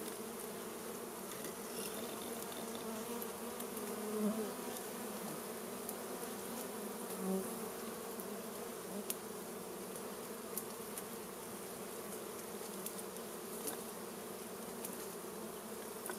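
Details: Wild honey bee colony disturbed by smoke during a primitive honey harvest, giving a continuous, thick humming drone with brief louder swells and occasional sharp ticks.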